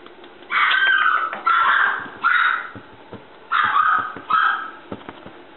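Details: Red male Toy Poodle puppy, 54 days old, born 12 February 2015, at a breeder in Shiga, Japan, recorded 7 April: five high, drawn-out whining whimpers in two bursts, each about half a second, with light tapping sounds in a small room.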